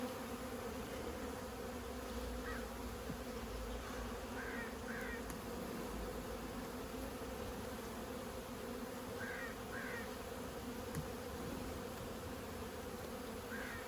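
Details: Constant deep buzzing of many honey bees from a long-established hive cut out of house siding. The hum stays level across the whole stretch, with faint short chirping calls overhead at intervals.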